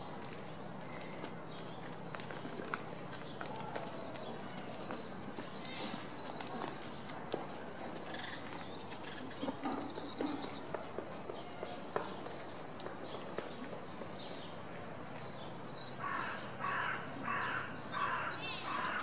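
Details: A wapiti (elk) stag at Tierpark Berlin in September 2015 roars during the rut as part of a posture and roaring display, giving a burst of harsh, pulsed, mid-pitched yelps near the end.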